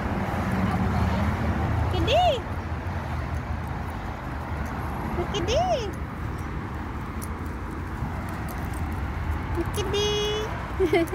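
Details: Street cat recorded in November 2023 giving three separate meows spaced a few seconds apart, the first two cleanly arched and rising-falling, the last flatter and drawn out, with a person talking softly and street traffic behind.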